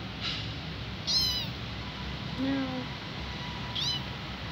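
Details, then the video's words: Hungry kitten calling for its absent mother: two high, rising-then-falling meows about two and a half seconds apart, plus a fainter lower cry between them, over constant hiss. "Poor kitten hungry crying call mom but no have"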